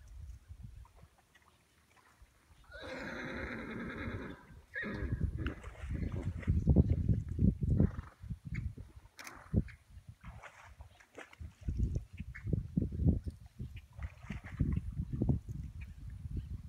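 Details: Wild horses at Saguaro Lake on a hot August morning; a loud harmonic whinny around three seconds, then repeated low snorts and thumping hoof-like sounds through the rest.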